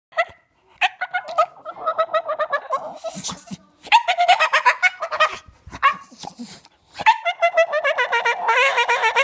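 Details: Playful Staffordshire Bull Terrier vocalizing because he wants to play with toys and sticks: bursts of whiny, yodelling, talk-like moans that waver up and down, repeated in short phrases with brief pauses.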